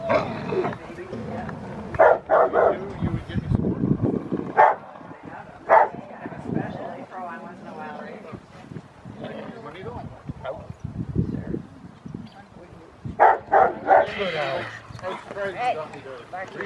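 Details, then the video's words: Rottweiler puppy named Foofy barking during protection training post work on October 25, 2020, with a helper. Sharp, loud barks come in scattered bursts, several close together, while a person talks through most of the recording. "Rottweiler - protection training with a puppy - post work"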